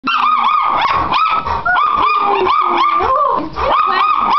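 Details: Chocolate Labrador and teacup Chihuahua, pet dogs, giving continuous high, arching yips and whines about twice a second, with a lower drawn-out tone weaving underneath.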